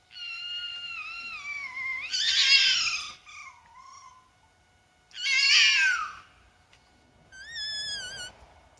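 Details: A fox calls at 3 a.m. at night, giving high, wavering whines that break into harsh, raspy screams, repeated a few seconds apart.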